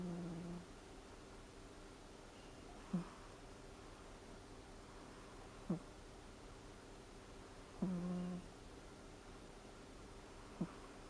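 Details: Rara, a four-year-old Ragdoll cat, dozing off on a massage machine, snoring in short low buzzy bursts roughly every two to three seconds over a steady low hum.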